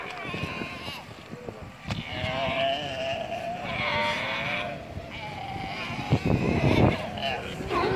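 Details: Galapagos sea lions from the Galapagos, Ecuador: drawn-out, quavering bleats with rich overtones, one long wobbling call in the middle and more toward the end, against human voices and a steady low rumble.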